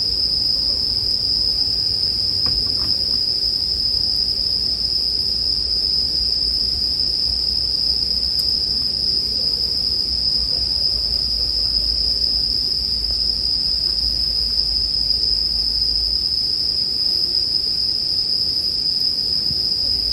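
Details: Bell crickets in continuous chorus for sleep music, paired with bonfire sounds: one steady, unbroken high ringing tone that never pauses, with a few sharp crackles and pops from the fire and a soft low rumble underneath.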